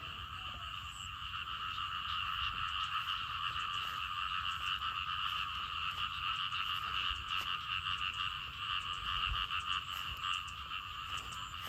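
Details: Loud chorus of frogs and small frogs after rain broke a dry spell, near a garden. Many callers overlap into a steady, unbroken buzzing drone, dense rapid croaks running throughout with no pauses.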